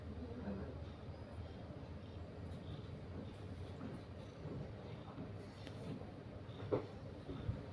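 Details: Steady low rumbling background noise, like a passing vehicle or train, with no animal call.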